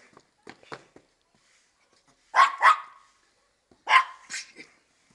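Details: Female Maltese at play, checking under a car for the feet of the person chasing her; two pairs of quick, sharp double barks about a second and a half apart, with faint quieter sounds before them.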